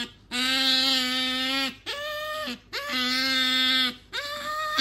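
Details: Female house otter Sakura pleads repeatedly for the object her owner holds. Four drawn-out, loud whining squeals, each over a second long, ending in a downward slur, come one after another with short pauses.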